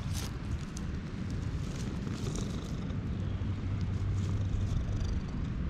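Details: Stray cats, a repeatedly yawning orange tabby being petted with a brown tabby joining in, recorded on a GoPro HERO8; a deep, steady, buzzing purr rumbles continuously close to the microphone, with light rustling of fur and handling.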